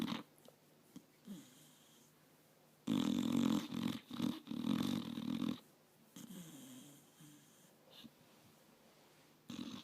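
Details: Sleeping five-year-old pit bull resting in a lap, snoring heavily indoors: soft breathing at first, then a long burst of harsh, rumbling snores with short gaps, fading back to quieter wheezy breaths.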